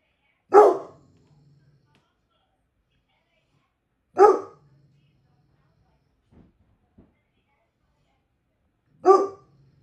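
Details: A guard dog called the laziest in the world gives three single, loud, deep barks spaced about four seconds apart. Near-silence fills the gaps, broken only by two faint knocks.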